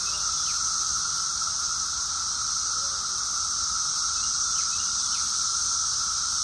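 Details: Cicada chorus recorded in June 2021 in Rockville, Maryland, USA: a dense, steady high-pitched hiss droning without pause, with a fainter continuous lower tone running beneath it and a few brief faint chirps.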